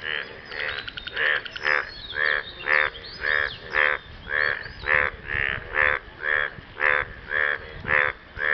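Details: Frogs croaking after rain to impress a partner: loud, nasal, buzzy croaks repeated steadily almost twice a second, each harmonic-rich burst rising and falling, with faint overlapping calls from other frogs behind.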